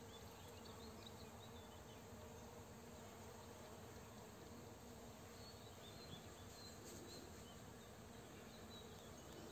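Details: Honey bees collecting nectar and pollen on rapeseed fields while a farmer sprays close by in the afternoon; a constant, soft, low buzzing of many bees with scattered faint chirps overhead.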